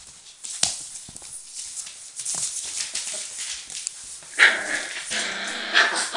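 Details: Four-week-old Border Collie puppies with their mother: after scuffling and rustling, a drawn-out harmonic whine starts near the end and holds for about two seconds, with a brief sharper note.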